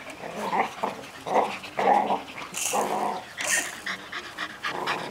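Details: Golden Retriever puppies aged six weeks, from one litter and held in a cage, whimper and squeal in quick repeated bursts, about one every half second, with sharp rustling clatters in between.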